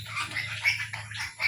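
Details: A sow gives harsh, noisy squeals in a run of overlapping bursts. The loudest burst comes mid-clip and another near the end, over a steady low hum.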